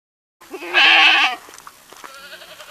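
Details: Kid goat bleating once, a strong, quavering nasal cry of almost a second after a brief softer onset, then fading into quieter background calls.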